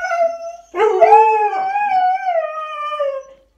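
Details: Two Siberian Huskies in a house, arguing with each other and their owner over who made a mess: a short steady howl, a pause, then a longer warbling howl that rises, holds, and slowly falls away.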